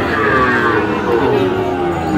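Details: Sahiwal bull calves at a cattle market in Kushtia, recorded 24/4/25: a drawn-out, slightly falling moo with layered tones, heard over steady crowd chatter and market bustle.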